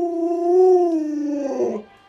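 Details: Luoluo, a pet Alaskan Malamute, pleading indoors for a piece of watermelon; one steady, drawn-out tonal whine holds level for almost two seconds, then breaks and fades.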